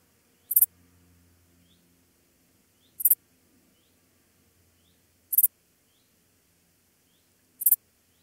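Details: Pholidoptera fallax singing in Pfaffstätten, Austria, on 28 August 2021: brief bright chirps of high pitch repeated about every two and a half seconds, four chirps with near silence between them.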